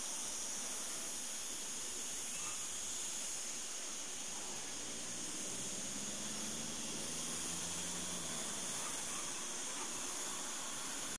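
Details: Morning cicada chorus at Cortijo de Marín, Almería, 26 August 2012, near agave plants they tap for sap: unbroken, shrill, hiss-like buzzing fills the air, with a low engine-like hum rising and fading midway.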